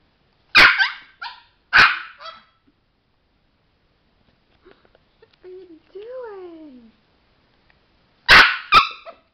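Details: Male Chihuahua kept as a pet and trained for tricks barks sharply twice, then a drawn-out rising and falling whine-like tone is heard, before a closing pair of quick, loud barks.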